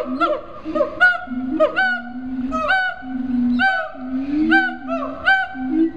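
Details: Captive siamangs at Riverbanks Zoo in Columbia, South Carolina, calling in a dense overlapping chorus: low droning hoots continue beneath rapid, rising, ringing whoops and barks. The whoops repeat roughly once per second.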